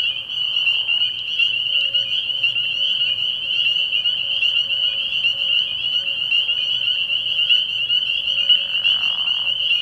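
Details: Continuous shrill peeping from many spring peepers at a frog pond at night early in the year; a short lower raspy trill sounds at the start and again near the end.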